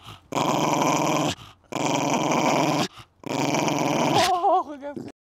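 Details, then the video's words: Coton de Tulear named Babou growling fiercely in a garden, three long rough growls of about a second each, then a brief wavering whine at the end; a few words of French speech before. "COTON DE TULEAR - la bête féroce"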